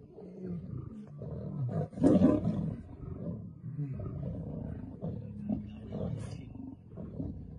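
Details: Lionesses attack a male lion in a fight over a mate: deep, rasping growls rise and fall continuously, with one louder snarling burst near the start.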